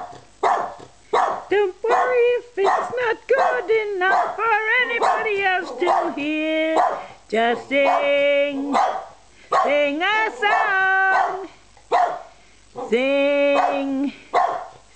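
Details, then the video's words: Twelve-year-old Australian Terrier having a sing-along, recorded 26 October 2010: a long run of yodelling, wavering howls and short yelps, pitch sliding up and down, with a person's voice encouraging her to sing. "Wendy Sings"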